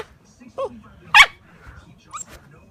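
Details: Alaskan malamute puppy giving short scattered sounds: a brief yelp, one sharp harsh bark in the middle, then a faint high squeak.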